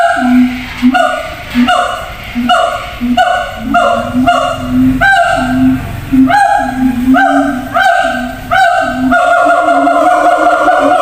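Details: Siamangs in a zoo, housed in separate cages, shouting to communicate across a long distance; loud, resonant hoots with a booming lower tone repeated about every second, some sliding upward, in a steady rhythmic series.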